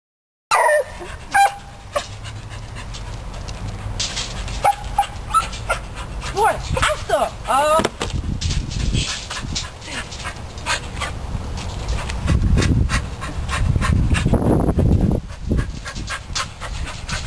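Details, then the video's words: Sport, a beagle kept as a rabbit hunting dog, grows excited over a chipmunk caught in a trap: high rising whines and yelps early on, then rapid panting and sniffing with scraping and rustling throughout. "Sport Being Amused By A Chipmunk"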